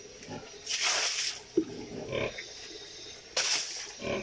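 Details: Sow near farrowing gives two drawn-out, harsh, high-pitched squeals, each lasting about half a second, with a few shorter grunts between them.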